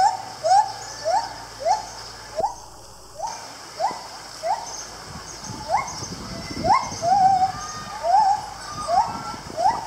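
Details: A gibbon at Lisbon Zoo in 2019 gives loud, rising whooping notes in a quick, steady series, about two each second.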